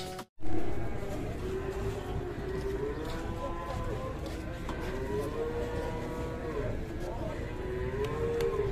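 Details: Enraged cow being handled by three handlers: drawn-out, wavering moos in a mid-low voice, repeated several times from midway on, over steady low rumbling background noise.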